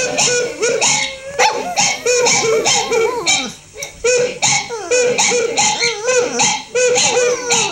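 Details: Female dog howling along while watching a recording of her own howling; drawn-out, wavering tonal howls that rise and fall, coming in repeated bursts with short gaps, overlapping the howls from the playback.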